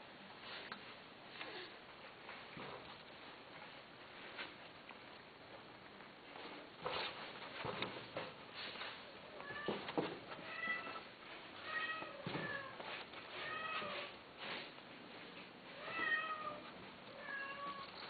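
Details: Domestic cats offered for sale, recorded indoors in a small room: several short rising-and-falling mews with clear harmonics cluster in the second half, over scattered thumps, rustling and faint voices.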